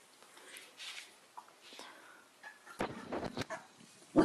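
A corgi gives short, sharp barks in quick bursts, with people talking nearby.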